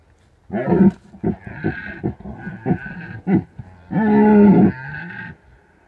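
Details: Red deer in the Bucovina mountains during peak rutting season, calling at night, captured by an unattended drop rig; a run of short, deep grunting barks, then one sustained, low, harmonic roar lasting nearly a second.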